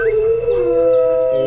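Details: A female wolf in an enclosure, unseen during the whole shoot, howls on an observation camera once people leave, a call said to carry to a village 10 km away; a long steady tone with a slight rise, holding level to the end.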